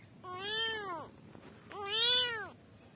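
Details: Kittens calling for their mother: two clear, drawn-out meows, each under a second long, rising then falling in pitch, with a short pause between them in a quiet room.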